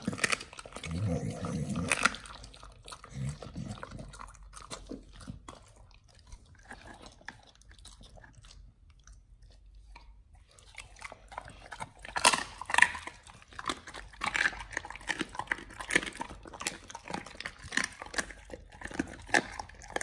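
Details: Close crunching as dogs eat raw duck feet and chicken breast indoors: a low rumbling burst at the start, then near silence around the middle, followed by loud, rapid crunches and bone-cracking bites through the final eight seconds.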